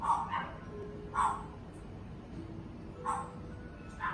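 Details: Red-coated male Shiba Inu born June 2020 giving short sharp barks, about four spaced a second or so apart, each a brief yelp with a quiet room background between.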